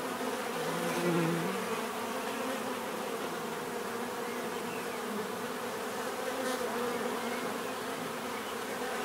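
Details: Natural bee buzzing fills the scene as a dense, unbroken hum; single bees drift close, their tones briefly rising and falling above the steady background drone.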